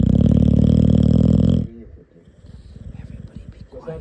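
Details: Sleeping puppy snoring: a loud, buzzy, rattling low snore lasting about one and a half seconds, finely pulsed, then a quiet stretch of soft breathing and faint rustles.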